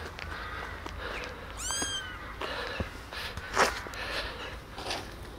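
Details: Tiny rescued kittens, abandoned on the street eight days earlier and now kept in a warm basement, walk about and drink milk from a syringe; one clear falling, harmonic-rich meow near the middle, fainter mews, soft clicks and low background hum.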